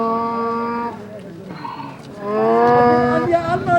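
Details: Donkey at the famous donkey bazaar of Andkhoi in Faryab province, northern Afghanistan: a loud, harmonic-rich drawn-out call, a first long tone, a short pause, then a stronger rising and falling blast, over market bustle.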